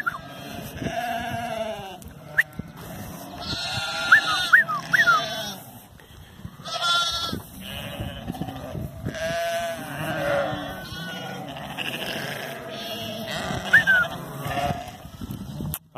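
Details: Sheep herded by the border collies Zara, Memphis and Bluky during real herding work: many animals bleat at once in a dense, quavering chorus, with sharp whistles and a herder's shouted commands throughout.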